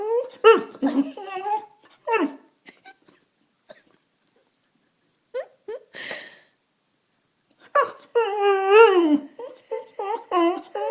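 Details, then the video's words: Pet dog crying to beg for food: bursts of wavering, whimpering whines that rise and fall in pitch, then a quiet gap, then a longer warbling, drawn-out whine near the end. "Dog Crying for Food"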